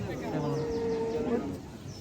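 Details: At a livestock market held on the Dhanpati Khola Primary School field, a bovine gives a steady, drawn-out moo lasting about a second, with men's voices and crowd noise in the background.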